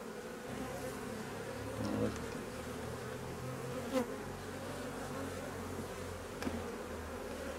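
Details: Honey bees of a drone-laying colony, possibly with an unmated queen, buzzing steadily during a hive inspection; continuous low hum with a few sharp knocks of frames being handled.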